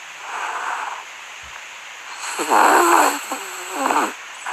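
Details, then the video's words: Sleeping dogs give breathy, snore-like exhalations, then a run of wavering, high whimpers and muffled whines in two close bouts, over a steady faint background hiss. "Dogs that make noises when they sleep."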